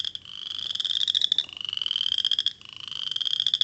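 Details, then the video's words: A western chorus frog, heard currently around Boucherville, gives rapid, rising pulsed trills about a second long, much like a cricket and easily confused with insects such as grasshoppers. "Ça c'est la rénette faux grillon qu'on entend"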